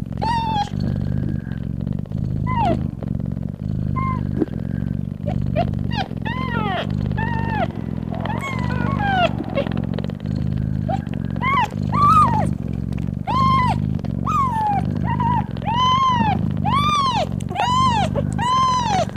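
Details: Domestic mother cat purring loudly while nursing her newborn kittens: a steady, deep, pulsing rumble runs throughout, overlaid by frequent high, arched mews from the kittens that grow louder and more frequent toward the end.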